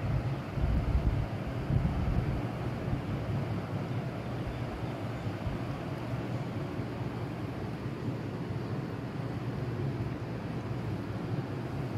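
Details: A steady low rumble of wind or engine noise runs throughout, loudest in the first two seconds, with no animal voice.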